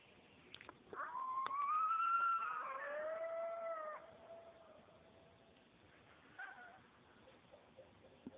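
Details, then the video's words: At night in suburban Katy, near Houston, Texas, one or two unseen coyotes 50–100 ft from a back yard howl in long, wavering, overlapping tones that rise and slowly fall away, with echo. "Coyotes Howling in Suburban Houston"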